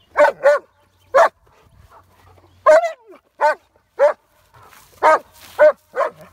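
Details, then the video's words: Barking at a horse, Jessie the dog lets out a steady series of sharp, clipped barks, some doubled, roughly one or two per second, with faint outdoor background between them. "Jessie the Dog Barks at the horse"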